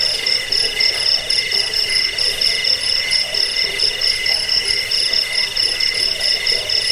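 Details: Cricket chirping, offered as a sound to repel rats, lull to sleep and tutor songbirds; dense high pulsed trills repeating about four times a second over steady ringing tones, continuous with no pauses.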